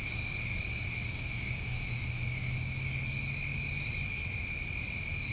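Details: Summertime New England crickets at night giving a dense, continuous shrill trilling from many insects, even and unwavering throughout, with a soft low hum underneath.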